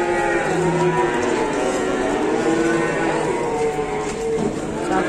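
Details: Short-bodied, short-legged black cattle: a low, steady moo early on, followed by fainter drawn-out lowing under dense background noise and men talking.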